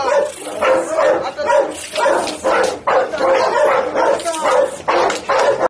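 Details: A white Pit Bull, called very fierce, barks over and over, deep, rough woofs coming roughly once a second.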